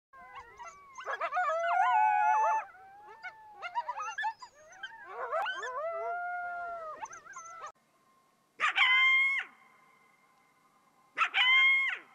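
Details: Coyote howling: several overlapping wavering, sliding high howls with yips over the first eight seconds, then two short steady harmonic-rich cries near 9 and 11.5 seconds separated by near silence.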